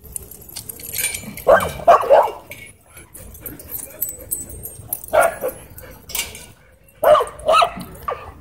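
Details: Dogs at a dog park as an aggressive husky pins another dog: short harsh bursts of barking and yelping come in three clusters, near the start, middle and end, with quieter rustling between.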